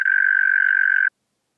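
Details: European mole cricket, Pabing, Austria, 31 May 2021: about one second of steady, low purring trill that stops abruptly, followed by silence.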